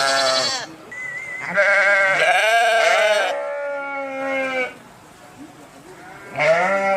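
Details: Several sheep bleats in quick succession, loud and quavering with rich harmonics, some overlapping, then a pause before a final bleat rises in at the end.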